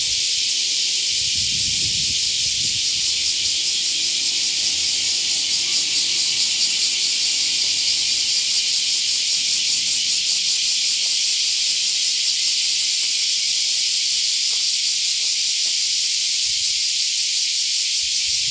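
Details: Summer-morning cicada chorus heard on a dog walk: an unbroken, shrill, hissing drone, loud throughout, with faint low thuds and rustling beneath it.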